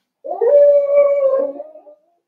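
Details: Four-week-old Cavalier King Charles Spaniel puppy in an indoor home puppy pen, during a day of socializing with older dogs and trying puppy mash, gives one loud, drawn-out whimpering whine, steady and mid-pitched for under two seconds, then fading out.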